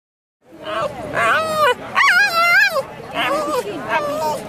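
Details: Cavalier King Charles Spaniel calling its female owner, making a talkative run of whiny, wavering vocal bursts that rise and fall in pitch, several in quick succession, with short pauses between them and nothing else clearly heard.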